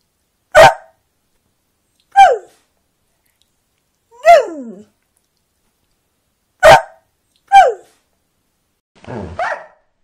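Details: Border Collie giving loud, abrupt single barks, some ending in a falling whine-like tail, six bursts at irregular gaps of one to two seconds with silence between.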